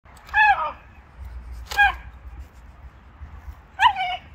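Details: Shiba Inu barking at an icy puddle while standing guard to keep its owner from crossing. Three short, high, yelping barks falling slightly in pitch, spaced about one and a half to two seconds apart over a quiet low rumble.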